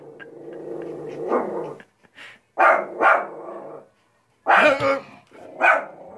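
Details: Cristal, a pet shih tzu bitch going stir-crazy indoors, mixes a rumbling growl with bursts of short barks, two close together, then a pause, then two more. Soft growling continues between them.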